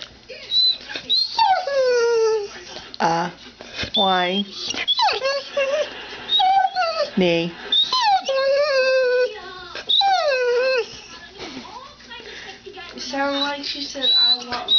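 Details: Two pet dogs, Annie and Maggie, indoors, one taught that day to 'say mom': a run of high, wavering whines and yowls, many falling in pitch, often overlapping with a woman's speech and laughter in a small room.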